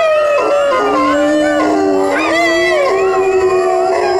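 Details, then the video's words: Several dogs howl together, one voice dropping from a higher pitch to a long low note while others rise and waver above it, the chorus blending continuously. "CHIENS HURLER pour faire hurler votre chien dogs howling to make your dog howl"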